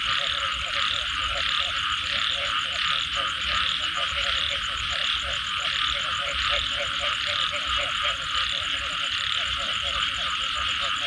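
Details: Post-rain frog chorus with clusters of short knocking croaks, roughly 87 per minute but uneven, over a thick continuous hiss of distant callers and a fast high-pitched pulsing trill.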